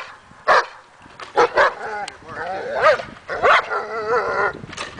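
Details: Daja, a dog in agitation table training meant to build confidence and barking, gives scattered sharp barks, some in quick pairs, with a whiny harmonic bark near the middle and gaps between.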